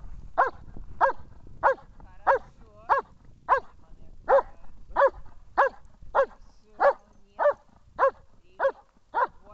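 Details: Amur, a German Shepherd in protection training at Horlivka on 14 February 2021, barks steadily: about fifteen loud, harsh barks, one roughly every 0.6 seconds, over low background rumble.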